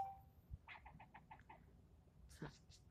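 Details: A squirrel yelling at the person filming it; a quick run of six short, clipped barks, followed by a louder burst of rough noise.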